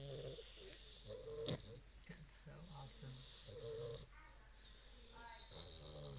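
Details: English bulldog puppies asleep, two of them snoring side by side: uneven, rattling low snores mixed with breathy hissing exhales and a few higher nasal whistles, irregular rhythm, quiet indoor background.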